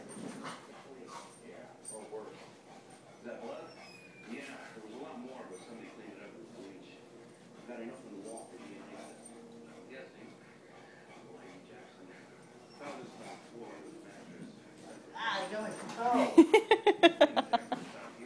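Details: Rambo the dog playing amid a person's urging voice and scattered faint noises, ending in a loud, rapid run of high yipping barks over the last few seconds.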